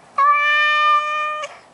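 A Maine Coon cat gives one long, steady meow, held on a single clear pitch.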